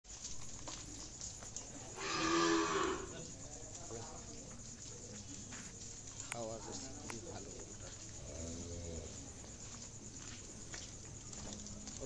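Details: Friesian cow at a cattle market, a single loud drawn-out moo around the second to third second, with a hum and low background noise and brief voices afterwards.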